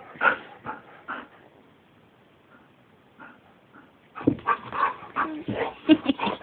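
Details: Pet dog indoors in a bedroom, described as crazy, giving sharp high yipping barks: three quick ones at the start, a quiet lull, then a rapid excited burst of repeated barks and yelps; a person's voice is heard nearby.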